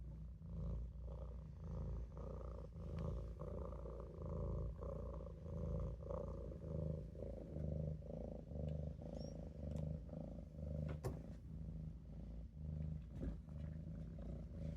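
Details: Napping in a sink, the Maine Coon kitten Olof purrs loudly and rhythmically, a deep rumble swelling and fading with each breath, with a few light clicks in the background.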